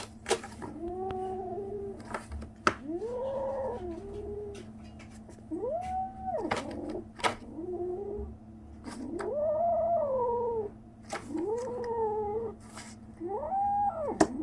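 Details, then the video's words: Strange noises from a kitten 37 days after birth: a run of about ten short arched mews, some wavering, in irregular bursts, with sharp clicks and knocks between calls and a constant low hum indoors. "생후 37일째 베리의 아기고양이! 이상한 소리를 내요, 37 days after birth, the kitten makes strange noises"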